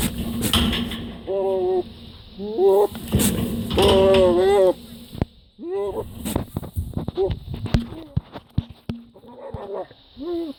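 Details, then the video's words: Goat producing strange noises: a series of wavering, quavering bleats, some long and trembling, some short and nasal, mixed with knocks, clicks and faint background voices. "Crazy goat makes bizarre noises"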